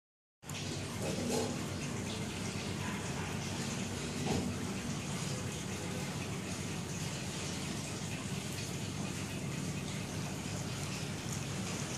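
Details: Steady rushing water noise, like a gushing tap or stream, after a brief silent start, with no clear animal sound.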